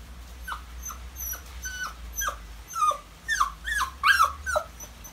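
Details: Maltese dog whimpering while left with someone else as its owners go out shopping; short high whiny cries sliding downward, repeated about twice a second, growing louder and more insistent toward the end, with a low steady hum underneath.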